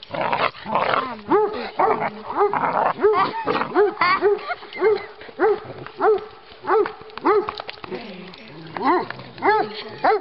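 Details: Group of Giant Schnauzers with a 16-week-old puppy playing on a walk through Battle Great Wood in Sussex, Miniature Schnauzers too; steady string of bright, arched yelping barks nearly twice a second, overlapping dogs and some human voice.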